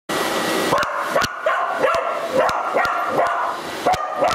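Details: Border Collie barking at a vacuum cleaner, torn between approaching and avoiding it; sharp barks repeat about twice a second over the steady roar of the running vacuum.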